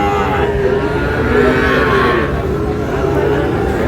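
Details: Sahiwal bull calves at a livestock market, collected by a farmer from Chattogram; a drawn-out, low, level moo runs beneath a dense crowd hubbub and nearby talking voices.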